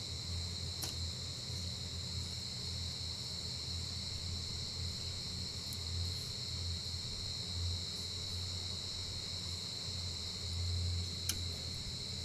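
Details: Giant rice cricket, a kind that surfaces only once a year in the breeding season. A steady, unbroken high-pitched ringing tone holds throughout, with a low hum beneath and a few faint clicks.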